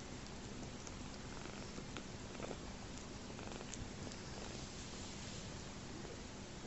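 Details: Homeless kitten, a rescued orphan whose mother died shortly after his birth, enjoying his bottle: a steady rumbling purr runs throughout, with faint clicks and suckling noises.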